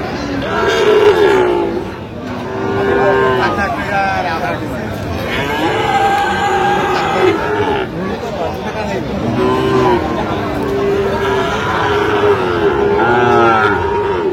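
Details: Sahiwal bull calves being bought at a market in Brahmanbaria, Bangladesh, 21 October 2025; several overlapping moos, some short and bending, others held, recurring through the stretch amid men talking and crowd noise.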